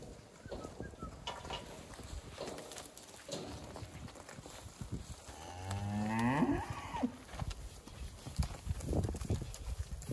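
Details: Hereford cattle from a group of fifteen heifers with fifteen calves: one drawn-out moo, rising then falling in pitch and lasting over a second, rings out midway through steady rustling and clattering farm noise.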